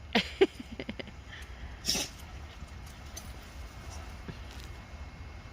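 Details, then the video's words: Jindo dogs Miso and Jangbi making up after a fight outdoors at a glove factory; two short, sharp whimpering yelps open the moment, followed by a sniff-like burst and quiet, with low steady background hum. "진돗개동동이 개싸움후 화해하는 방법!"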